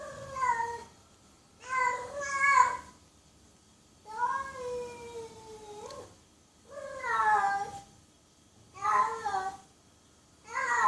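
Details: Loud, repeated cat meows, each a long harmonic cry bending up then down, some doubled, coming roughly every two seconds with quiet gaps between.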